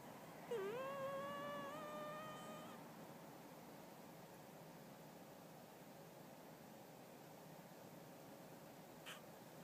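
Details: A Chinchilla Silver cat snores in its sleep with a single whistled, tonal note that dips briefly, then climbs gradually for about two seconds, likened to a do-re-mi-fa-so scale; quiet room hush follows.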